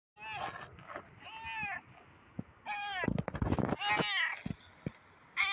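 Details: Black cat, apparently a stray, giving a run of loud, harmonic meows, some drawn out and some short and rising-falling, mixed with brief clicks and rustling; a human voice may be present.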